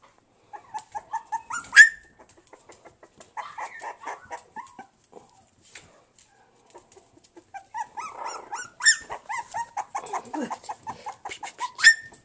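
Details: Havanese and bolonka puppies, three pups together, giving high whimpering yelps in short repeated runs, with rising squeals around the second and twelfth seconds and a quieter stretch of softer cries in between.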